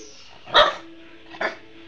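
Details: Pet dog barking at the owner's wife, whom it does not recognise; two sharp single barks about a second apart over a steady low hum.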